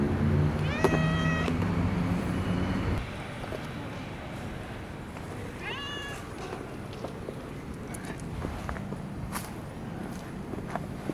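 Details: Park-dwelling long-haired brown tabby cat meows while being petted: one loud, bright, drawn-out meow at the start, a shorter softer meow a few seconds later, then quieter rustling and outdoor background hum.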